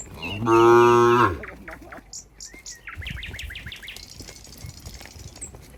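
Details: Cows walking together toward their pen on a farm give one loud, droning moo of about a second at the start. Then come soft shuffling sounds and a run of rapid high bird chirps.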